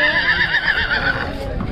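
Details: Marwari horse, a milk-teeth colt at the Ransi horse show in 2023, giving a loud whinny of rapid wavering tremolo pulses that slide gradually downward over about a second, then fading.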